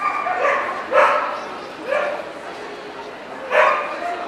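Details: Barking at the NVP Ostrava show on 14 April 2012, Welsh Corgi breed: four short, punchy barks, two in quick succession, then one after a pause, then another, with a hall full of chatter behind.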